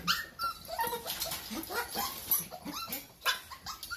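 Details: Two-month-old Toy Poodle puppy named Kyle, indoors, giving a rapid run of short, high whimpering yelps, each a quick upward-sliding squeak, packed closely over four seconds with little pause between them.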